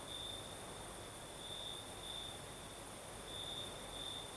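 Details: Brief stretch of crickets singing at night in southern Crimea, night breeze present; a thin high trill flares in short bursts, the strongest near the end, against steady breezy hiss.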